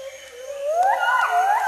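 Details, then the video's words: Agile gibbon great call, a duet by a female accompanied by a male, high in the canopy of a Sumatran rainforest in Indonesia: a loud, pure whooping note sliding steeply upward, then swooping again, with insects buzzing faintly behind. "Gibbons sing "great call" in Sumatran rainforest"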